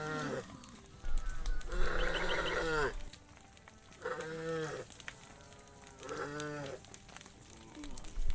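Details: Cows herded through a muddy rice field toward a livestock pen, giving three deep, drawn-out harmonic moos, each about a second long and spaced a couple of seconds apart, over a low rumbling background.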